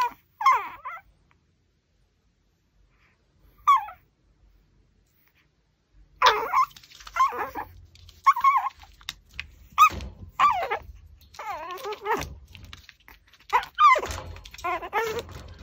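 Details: Pomeranian working on a raw pork backbone: a few isolated whines at first, then a dense run of quick wavering whimpers, grumbles and chewing noises in the second half.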